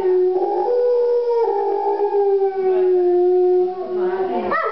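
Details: A wolf howls indoors at a gallery opening in Verona, Italy, in November 2009, a long, smooth tone that rises and falls before breaking upward at the end.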